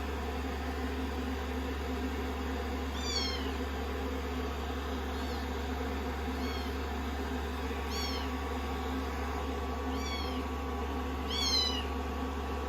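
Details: Rescued kittens, sixteen days into a growth record, snuggling on a lap after a shampoo and blow-dry; thin high meows with falling pitch come every one to two seconds over a steady low hum.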